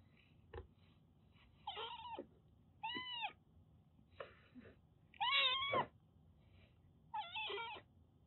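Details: ['Siamese mix kitten during its shampoo, giving strained, wavering meows, some harsh and noisy like protest cries, spaced about a second apart, with splashing and handling sounds between them.']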